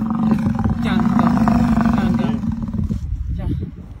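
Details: An American bison in Yellowstone National Park lets out a low, throaty roar, a sustained, pulsing bellow of about two and a half seconds, trailing into rougher, broken grunting and quieter rumbles.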